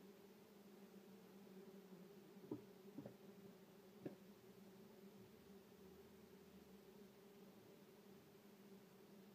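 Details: Common wasps, Vespula vulgaris, at a nest in a shed drawer being disturbed: steady low droning buzz with a strong hum and overtone, a few sharp knocks or taps standing out near the middle, indoors and fairly quiet.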